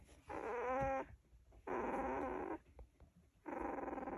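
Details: Golden Retriever puppies, sleeping, wriggling and snuggling, give three soft, nasal whimpering grumbles, one ending in a thin rising whine.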